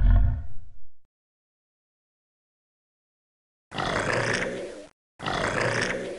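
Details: Alligator giving a short deep guttural growl, then after a pause two rough, breathy hissing bursts of about a second each.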